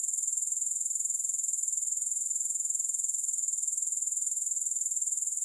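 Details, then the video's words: Unbroken high, thin insect buzz from grasshoppers, finely pulsed at a fast, regular rate with even loudness throughout; nothing else audible. "3 Hours of Grass Hopper Sounds"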